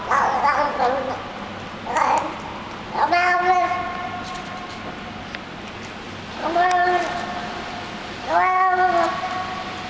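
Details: Hungry street cat fed in a building's garage basement, making odd happy noises while eating: several short harmonic meow-like calls, early ones buzzy, later ones longer and flat-toned, with chewing and clicking sounds between them.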